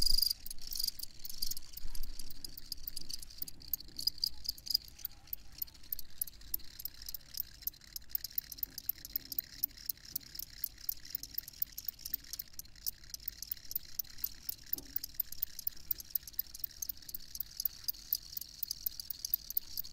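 Field crickets chirp steadily, a high, pulsing trill repeated in quick bursts over a low background hum.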